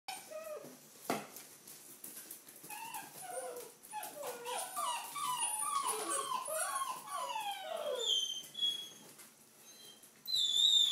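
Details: Red rust Doberman puppies, five weeks old, indoors: a chorus of high, wavering whimpers and squeaks overlapping in quick succession, some sliding up and down, growing busier midway, with a brief sharp knock and light rustling.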